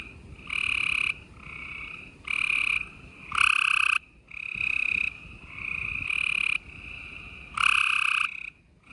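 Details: Gray treefrogs chorusing at night in Houston, Texas, on 28 April 2020: loud, buzzy, high trills lasting about half a second to a second, from several overlapping frogs, alternating with quieter steady trilling in between.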